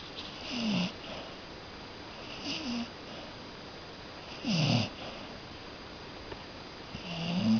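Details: Cocker Spaniel snoring while asleep indoors: soft rasping snores with a falling pitch, each about half a second, returning every two seconds or so in an uneven rhythm against a steady hiss of room noise.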